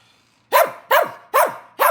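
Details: Puppy asking its owner for help: four short, sharp barks in quick succession about every 0.4 seconds, each dropping steeply in pitch, with no other sounds.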